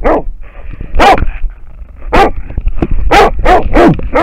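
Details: American Foxhound barking at a wild boar, filmed on a neck-mounted dog camera; loud, harsh barks at irregular intervals, about seven in four seconds, over low rumbling handling noise and a steady faint hum.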